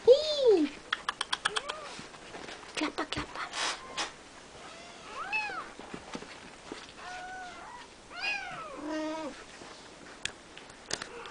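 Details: Three-week-old Siamese kittens in a play-pen with their mother and grandfather, giving high, arching meows in short bursts, several overlapping, with clicking and rustling noises and a voice talking softly.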